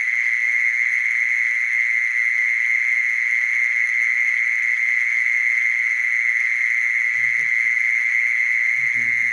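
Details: A mole cricket sings a steady, sustained buzzing trill at a single pitch, with a couple of faint low knocks or rumbles near the end.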